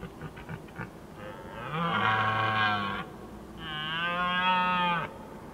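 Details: A red deer stag gives two long, deep, moaning roars of about one and a half seconds each during the evening rut in Skåne, southern Sweden.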